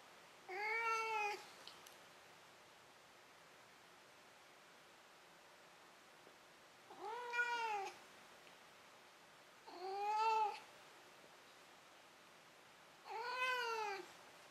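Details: Domestic cat Maru giving four clear, bowed meows before dozing off, separated by irregular gaps of two to five seconds of near silence, each call a short rise-and-fall with bright overtones over faint room hiss.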